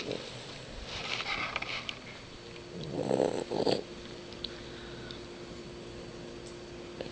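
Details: Diego, a cat with sleep apnea, snoring: a breathy, rasping snore of about a second, then a shorter double snort a moment later, followed by quiet with a faint steady hum.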